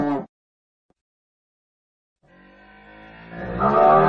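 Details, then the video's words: After a brief clipped sound and two seconds of silence, a cow's moo begins softly and swells into a loud, rough, drawn-out bellow. "Suara Sapi dan macam-macam suara lembu"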